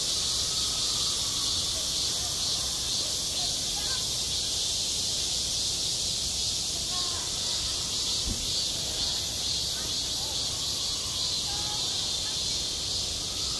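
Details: On a school playground in high summer, cicadas keep up a continuous high-pitched sizzling drone, even and unbroken, with faint scattered distant voices and a brief low thump.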